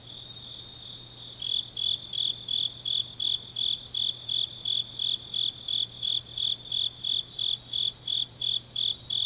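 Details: Grass insects at night in autumn, Changnyeong, South Gyeongsang: faint high pulsing gives way after a second and a half to a nearer insect's loud, regular shrill chirps, about three each second, above a quiet hum.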